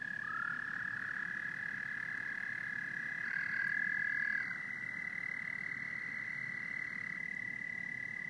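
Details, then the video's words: Frogs and toads calling together, a steady high trill holding one pitch for the whole stretch, with a second voice briefly joining slightly lower in the middle, over a soft low rumble. "Frogs and Toads Symphony"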